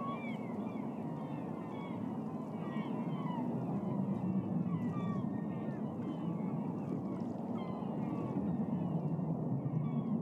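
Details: Dozens of beluga whales feeding on smelt upstream in Alaska's Naknek River, Katmai National Park, spring, 26 April 2014; dense chorus of short, sliding, chirping whistles, many overlapping, above steady low rumbling water noise.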